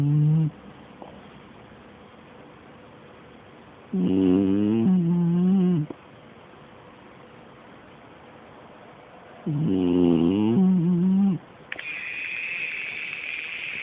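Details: Beagle snoring: two long, rasping, harmonic snores about five seconds apart, each lasting nearly two seconds with a wavering low pitch, then a steady high electronic tone toward the end.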